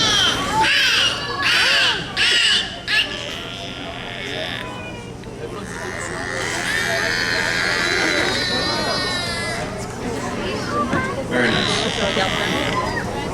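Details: Captive beluga whales at Vancouver Aquarium in Stanley Park give squeaky, wavering whistles and harsh, birdlike chirps during a show, vocals they learn from each other, with people talking in the background; Beluga whale.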